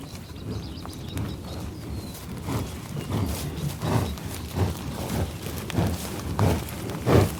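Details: Bison sniffing in the tall grass of an Oklahoma prairie near Pawhuska, USA, captured on a Sound Devices 788T with Schoeps microphone: a run of short, low, breathy puffs roughly every half second to second, growing louder toward the end.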